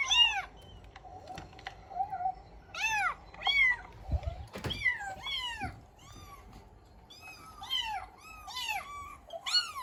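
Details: Domestic cat reacting to a recorded meow played from the internet; many arched, rising-then-falling meows come in quick bursts, some overlapping, with short thuds and knocks between them.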